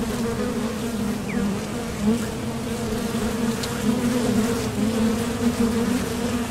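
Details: Continuous low buzzing from honeybees at a top bar hive entrance, coming and going to fields for nectar; the drone is steady, with small surges as single bees pass close.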